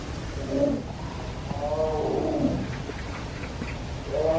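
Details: Morning cries of a tiger kept at Everland zoo, Korea, calling again and again: several short wavering moans, the middle one longest and falling, with low crowd and ambient noise behind.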